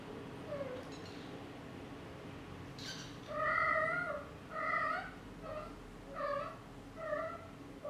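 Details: Young Exotic Shorthair kittens, four weeks old, meow repeatedly on a car ride: six or so short, level, bright calls about once a second, after a quiet start, with a faint rustle and low background hum.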